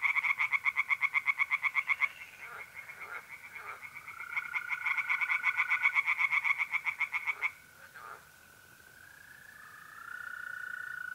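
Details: Night chorus of tree frogs from a pond in north-east Italy, mid-April: fast bursts of pulsed croaking, about four per second, pausing and resuming, over a continuous mole cricket trill that rises to the fore near the end.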